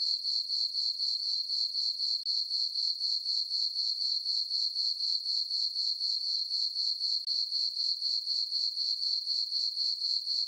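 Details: Crickets on a calm summer night in a meadow beneath dark skies and a full moon, a bright metallic chirping repeated steadily around four times per second.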